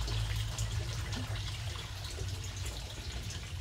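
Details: Steady trickling and dripping water over a low, constant hum, with no animal voice anywhere.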